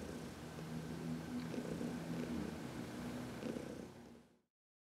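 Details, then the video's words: Contented purring from Heidi, an elderly adopted cat from the Humane Society of New York City, during a sunny massage in March 2021; soft low continuous rumble with faint rhythmic texture, fading out near the end. "Heidi — Massage in the Sun"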